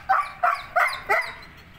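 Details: Gull Dong dog, 17 months old and 28 inches tall, giving four sharp, loud barks in quick succession, about one every third of a second, then falling quiet.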